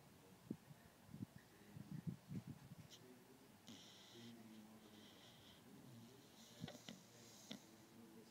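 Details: Sleeping beagle Gwen gives a run of soft snorts and clicks, then three raspy, hissing snore breaths spaced about a second apart, indoors in a quiet room.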